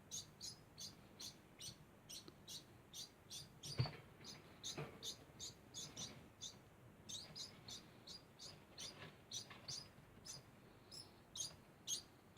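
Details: High, thin chirping from a degu repeats in an unbroken series, about two squeaks per second. A single loud click and some faint low rumble are also heard.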